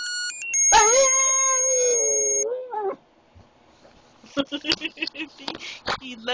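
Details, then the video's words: Boston Terrier, a small epileptic male pup, being made to howl: one sustained, wavering howl of about two seconds that dips at its end, alongside steady high electronic tones, then a run of short speech-like sounds. "Making Oscar howl"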